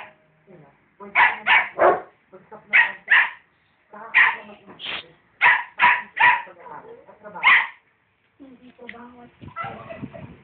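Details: Rottweiler and dachshund barking at each other, giving loud, abrupt barks in pairs and short runs with brief gaps, then quieter scuffling and faint voices toward the end.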